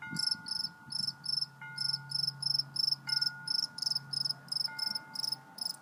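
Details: Cricket chirping steadily: short pulsed high-pitched chirps, about three per second, each a rapid buzzy burst. Faint steady electronic tones and a low hum run underneath.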